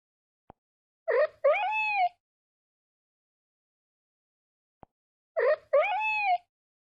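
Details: Domestic cat uttering a two-part meow, a short chirp then a curving, falling mew, repeated twice about four seconds apart, with faint clicks before each.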